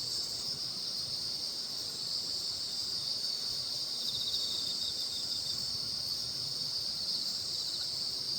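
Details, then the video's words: Insect chorus on a full-moon night at Baekjung, the Korean mid-summer lunar holiday: a dense, unbroken high shimmering drone with faint pulsing, steady throughout, with no other clear sounds. "백중날의 보름달풀벌레들의 합창과 함께 한 백중 보름달 구경"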